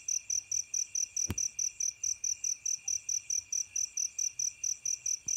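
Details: Night chorus of fighting crickets: high, metallic chirps repeated steadily about twice a second over a continuous thin insect drone, with a single sharp click partway through and another faint tap near the end.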